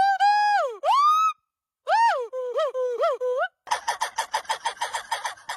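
A monkey gives loud, tonal wavering calls that dip and swoop upward, ending in rapid chattering.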